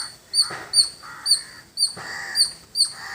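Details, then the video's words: Village squirrel giving loud high-pitched chirps, each a quick bright note, spaced roughly every half second, with some lower hoarse background sounds between the calls. "Beautiful Squirrel Making Sound"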